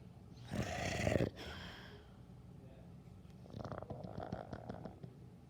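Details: Dog snoring: one loud, rough, rattling snore lasting under a second, followed by softer, fluttering, rasping breaths with quick repeated clicks in the second half.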